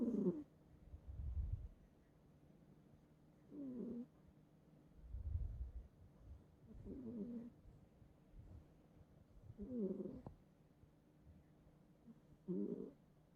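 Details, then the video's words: Bongbong, a pet cat sharing a bed, snores heavily while asleep indoors: rhythmic raspy snores about every three seconds, each breath a deep low rumble followed by a higher, rougher rattling burst, with quiet pauses between. "고양이 코골이 실화냐?"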